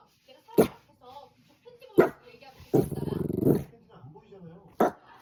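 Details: Pet dog indoors letting out three abrupt barks spaced a couple of seconds apart and a short throaty growl between them, with quiet human speech throughout.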